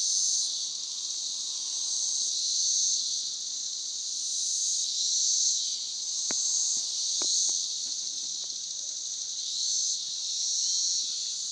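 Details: Noisy 17-year cicadas just emerged in Northern Kentucky, a continuous shrill droning chorus that swells and fades gently in slow waves, with a few sharp clicks midway and a faint low hum underneath.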